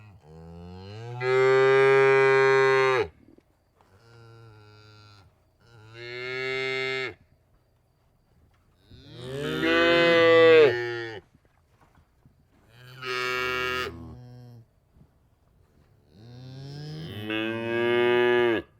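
A cow gives a series of long, low, droning moos, each lasting one to two seconds.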